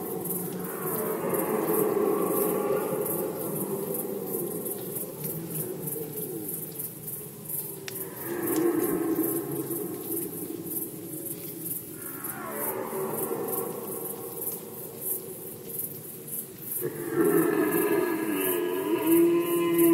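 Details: Roars of red deer during the 2020 rut in Poland: four separate hoarse, bellowing calls, each starting high and sliding down, spaced several seconds apart, against a steady, fast, high-pitched pulsing chorus.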